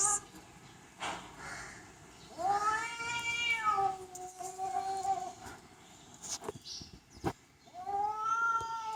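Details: House cat yelling in a long, wavering, nasal yowl of about three seconds, rising then slowly sagging, with clicks and knocks around it and a second yowl starting near the end.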